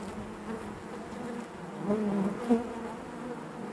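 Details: Inside a honey bee hive, a constant low hum of many bees, with a brief swelling buzz near the middle and a sharp close pass just after.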